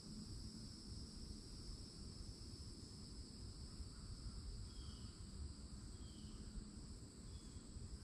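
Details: Cicadas singing loudly on a summer day at a forest edge with old oaks in Florida; steady high buzzing bands held through the whole stretch, over low rumbling background noise.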